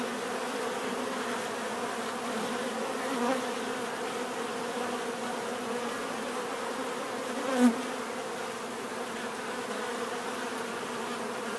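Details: Bees keep up a continuous layered hum with bands low and midrange, the drone staying even throughout, broken only by a short louder tick near the eighth second.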